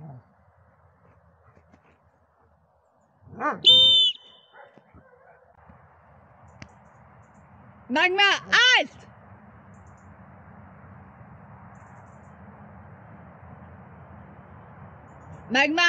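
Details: Dobermann Magmar Von Der Burgstätte, aged 11 years 7 months, giving a few short, arched, tonal barks spaced several seconds apart over a steady low background hum, with long quiet gaps between them.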